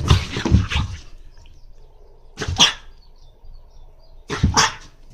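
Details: French Bulldog named Monaka, wanting to go out but refusing the leash, gives three short, harsh, snorting grunts, each a broad noisy burst, spaced about two seconds apart, with quiet room noise between them.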